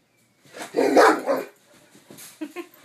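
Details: German Shepherd indoors while watching TV, giving one loud, harsh bark of about a second, followed by a few softer, short grunting sounds in a quiet room.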